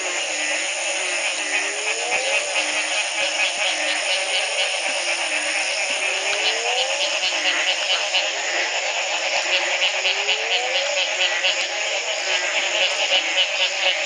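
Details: Frogs calling in a dense chorus at the Community Baboon Sanctuary, Belize, in 2010, the morning after a single night of rain ended a three-month drought; low croaks that slide upward repeat steadily over a constant high, shimmering background of callers.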